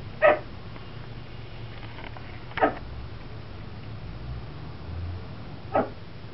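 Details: Chihuahua named Vespa barking from a bay window at a crowd by the school bus, joined by Tucker, another dog barking from the floor; three abrupt yappy barks spaced two to three seconds apart, with faint room noise between.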